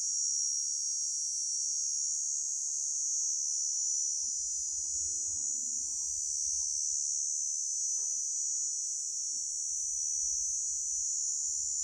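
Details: A grasshopper's unbroken high, hissing trill runs throughout, steady in pitch and loudness, while soft low murmurs and a single sharp knock sit faintly in the background.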